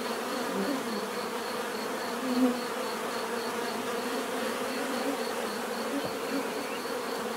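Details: Steady swarm-like drone of bees in nature, overlapping wings humming at low pitch with a faint pulsing high tone, one short close pass around the middle.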